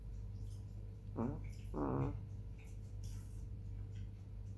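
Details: Hani, a black female chihuahua, asleep on the evening of 18 July 2021 at 21:07, makes two short, close, buzzy nasal snores in quick succession, with a faint background hum.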